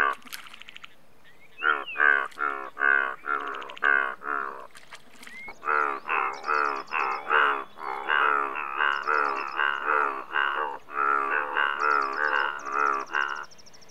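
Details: Indian bullfrogs in a dense chorus of rapid, overlapping, nasal croaks that run almost continuously after a short pause, with faint high chirping sounds above.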